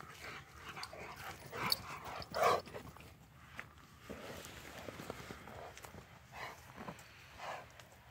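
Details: Two friendly Rottweilers playing together on a morning walk: short, rough growling barks and yips burst out around the two-second mark amid scuffling, with a person exclaiming in the background.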